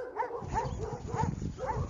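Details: Saint Bernard out on a walk: four short, hoarse barks come at roughly half-second intervals, each with a slight rising then falling tone, over a low rumble of outdoor noise.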